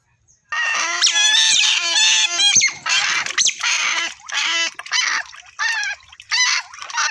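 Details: Otter squealing loudly in dense, wavering, high-pitched bursts, each lasting about half a second and separated by short gaps.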